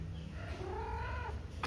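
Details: Persian cat met on a university campus in Goa, India, on a rainy reporting day: one drawn-out tonal meow that rises then slowly falls, over a steady low rumble, with a short sharp click near the end.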